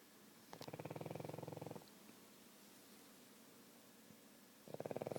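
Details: Sleeping pug snoring: two bursts of rough, rapidly pulsing snores, the first about 0.5 to 1.8 seconds and the second starting near the end, with quiet breathing between.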